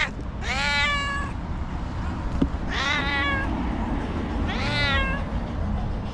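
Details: White domestic cat, female, angry and nervous: three long, strained meows about two seconds apart, each wavering in pitch and rich in overtones, with a low rumbling background.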